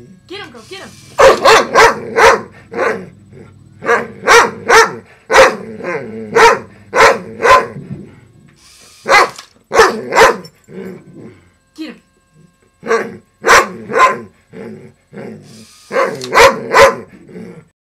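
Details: A household dog, female, barks at a robotic frog toy with a noisy broken motor. Long, irregular series of loud, sharp barks with short breaks. Human speech is mixed in.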